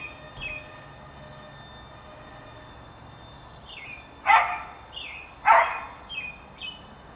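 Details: Dog barks recorded on April 28, 2019: after a quiet stretch come two loud, abrupt barks about a second apart, then a softer one, with American Robins' short whistled phrases scattered before and after.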